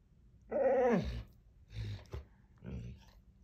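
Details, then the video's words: Dieting Labrador Retriever asking for food after midnight in a small room: one loud half-second whine falling in pitch, then low grumbling huffs and a faint closing whimper. "Labrador asking for food post midnight & very vocal about it."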